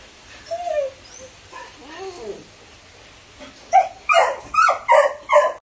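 A Siberian Husky puppy gives a few thin, wavering whines that rise and fall in pitch. It then shifts to quick, high, repeated yips and barks, about one every half second.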